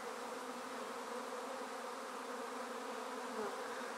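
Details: Honey bee swarm being taken from a tree directly into a swarm basket while top bars are eased in. A dense, steady droning hum with a low fundamental and stacked overtones holds an even level for four seconds.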